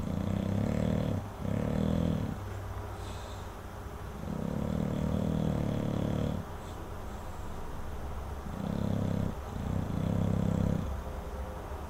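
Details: Chopper the English Bulldog snoring in his sleep, deep raspy rumbles in pairs of short breaths and one longer drawn-out snore, roughly every two to four seconds, with quiet pauses between.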